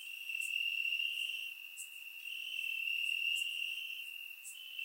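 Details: Night chorus of crickets chirping in the grass, warm summer, Bulgaria, surround microphone: a constant high ringing trill, gently swelling and softening, punctuated by occasional short bright ticks.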